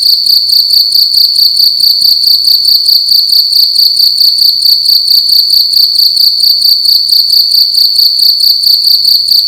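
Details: Cricket calling loudly at night inside a room, a piercing high trill pulsed rapidly and steadily over nearly ten seconds, unbroken and alone.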